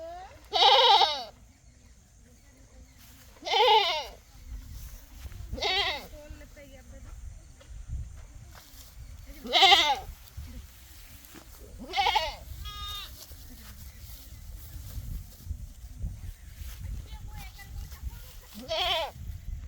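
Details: Crying goat giving a series of loud, shaky bleats, seven or so spaced two to three seconds apart, each trembling and strongly harmonic, over a low rumbling background.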